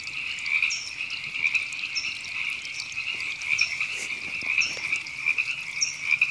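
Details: Chorus of river frogs in Temescal Canyon Park, Los Angeles, California, April 2017. A steady, buzzy trill from many frogs forms an unbroken wall of sound, with brief, higher notes dropping in about once a second.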